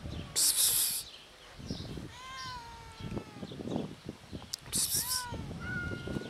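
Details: Hungry cats meowing outdoors, met often on the street; several harmonic meows, one sliding down around two seconds in and another near five seconds, mixed with loud hissing noise bursts, footsteps and background rustling.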